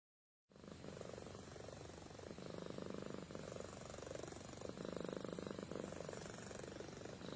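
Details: Amy, a pet cat, purring while asleep: a steady low rumble with pulsing bands, broken into long phrases that swell and ease with each breath.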